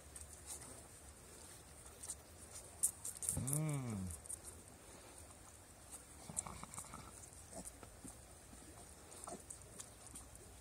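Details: Bottle-fed Turopolje piglets in a rabbit run on 2 July 2018; a single short, tonal grunt rises and falls near the middle, amid soft rustling, handling noise and a woman speaking German nearby.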